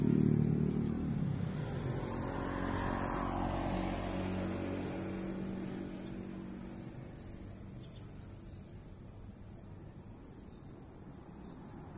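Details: A passing vehicle rumbles loudly at first and fades into a low background hum, with no animal voice standing out.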